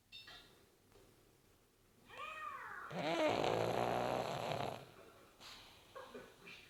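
A pug snores with a rough, wheezy rumble that swells and then fades.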